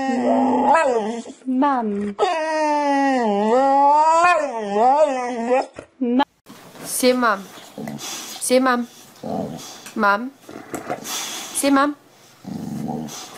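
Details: A domestic dog tries to mimic the way people speak, drawing out long wavering howl-like moans for several seconds before switching to shorter yelping, mumbling phrases broken by human voices.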